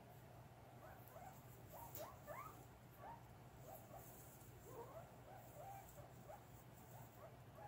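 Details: Guinea pigs during a cage clean in August 2022, giving many short rising squeaks that overlap, several voices at once, against a steady low hum.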